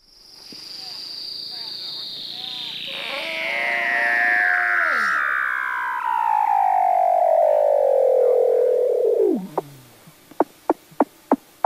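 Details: Weddell seal (Leptonychotes weddellii), underwater calls: communication.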